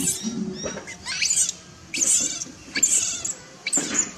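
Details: A baby macaque shouts loudly in anger after its mother refuses it milk. Shrill, noisy screeches come in bursts roughly every second, some with brief tonal squeals, over rustling and handling noise.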